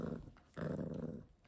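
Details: Pomeranian dog growling indoors in a small room, two low rumbling growls, the second longer and steadier, lasting about half a second.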